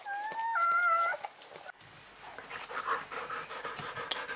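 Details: Newborn Czechoslovakian Wolfdog puppy from a litter of five females born 21 November 2020 to Orizon and Rahan, giving a steady, high, tonal whine for about a second, followed by quiet indoor rustling and shuffling.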